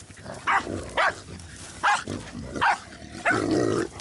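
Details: Jack Russell Terrier during a boar hunt barking loudly, five short sharp barks spaced roughly half a second to a second apart, the last one longer and rougher, over faint background rustle.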